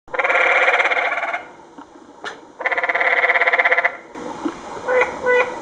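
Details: Canyon tree frogs calling along the Secret Canyon Trail in Sedona, Arizona, in 2011: two long, loud, rapidly pulsed rattling trills of about a second each, followed by quieter speech and scattered sounds.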